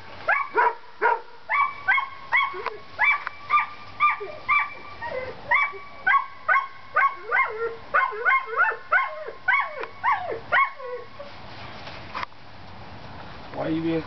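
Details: Collie pups seven weeks old playing outdoors, giving a rapid run of high, shrill puppy barks and yips, about two per second, bright harmonic notes repeated steadily before trailing off into quiet background noise.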